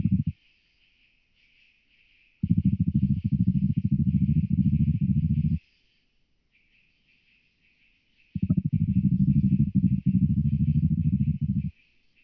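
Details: Oak bush-cricket in Starnberg, Germany, 18 July 2023: rapid, low drumming pulses in bursts of about three seconds, separated by silent pauses of several seconds, with a faint high buzzing running steadily in the background.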